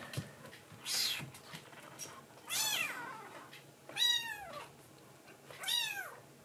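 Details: Rescued tuxedo kitten in foster care at night, meowing to its mother after drinking milk: a few high, arched mews spaced about a second or two apart, with softer rustling before them in a small quiet room.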